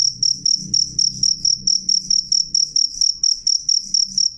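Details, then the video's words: Cricket sounding a piercing, bright chirp in a steady train of about four pulses a second, with faint low background noise. "suara jangkrik jernih keras"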